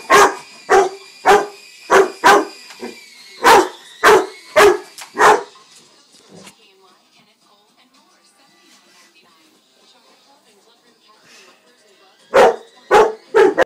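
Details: Jaden, a two-year-old pet Rottweiler who dislikes a child's new toy helicopter, barks in a rapid series of loud, deep, sharp barks, then falls quiet for about six seconds before another quick burst of barking.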